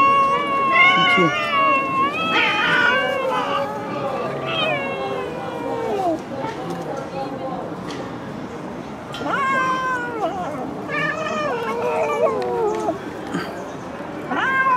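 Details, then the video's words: Stray cats living on the street making repeated drawn-out meows with rising and falling pitch, several overlapping, while a person speaks Turkish nearby, outdoors in an urban setting. "Cute cats living on the street"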